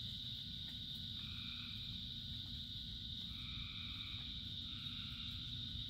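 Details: Frogs singing in the rain as a dense chorus: a constant high hum plus overlapping mid-pitched calls that start and stop every couple of seconds, with rain pattering underneath.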